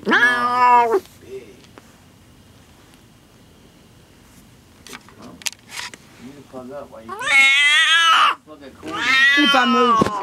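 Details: Cat giving birth to her first litter, settled indoors in a room she refused to leave. Three long, loud, strained yowls sound: one at the start and two near the end. Soft talking and rustling fill the gap between them.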